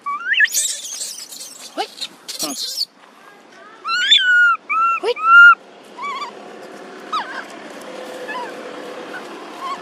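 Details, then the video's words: Baby monkey Thona in an archaeological park, separated from its friends, cries out for its mother Tara. Loud rustling and clatter open the recording, then a run of sharp, tonal coos rises and falls, followed by fainter calls and a voice. "Baby Monkey Thona Lost All Friends And Huge Calling Mom Tara"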